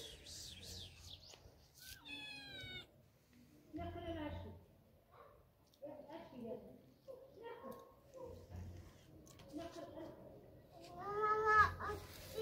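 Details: House cat tangling with a centipede indoors, giving repeated short harmonic meows and chirping calls, a louder strained meow near the end, with a person talking at intervals in a small room.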